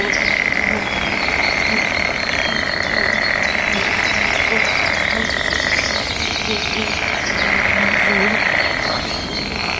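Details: Frogs in mating season call back and forth, a thick pulsed trill that waxes and wanes, with lower repeated croaks and bird chirps over a soft natural backdrop.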